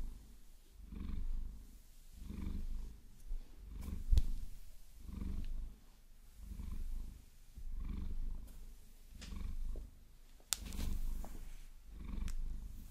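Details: Deep rumbling purr from Vasilisa, a pet Maine Coon enjoying a long-nail massage, pulsing in steady waves of roughly one per second. Crisp nail scratches and taps punctuate the rumble.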